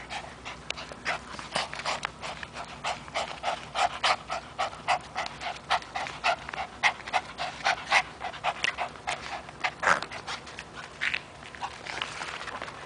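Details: Toby, a three-year-old Chihuahua terrier kept as a pet, pants steadily while playing with a rope: rapid, breathy, evenly repeated puffs running through the whole stretch, with a few sharper louder breaths.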